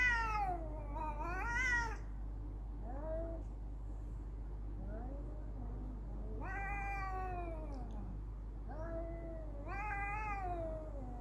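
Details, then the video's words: Fighting cats caterwaul back and forth, with bent, wavering howls repeating every few seconds, some swelling into high harsh screeches while low hum runs underneath. "Cat Fight"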